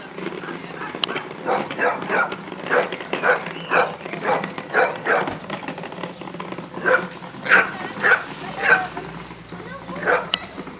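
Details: Pit Bull going wild, barking in repeated harsh bursts roughly twice a second, with human speech mixed in and a faint vehicle hum underneath.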